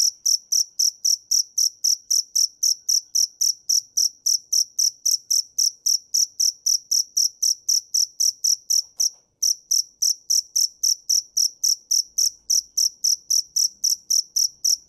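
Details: A dế mèn, or field cricket, keeps up a regular train of bright, high-pitched chirps, almost four per second, broken only by one brief pause midway; no other sounds.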